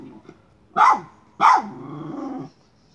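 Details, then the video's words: Miniature schnauzer hunting a chipmunk around a pipe: two sharp barks about half a second apart, the second trailing into a drawn-out whining growl lasting about a second. "Hunting chipmunk by a miniature schnauzer."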